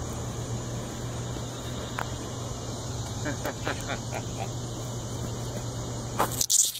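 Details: A swamp cicada on the ground gives a steady, high, hissing drone that holds without a break.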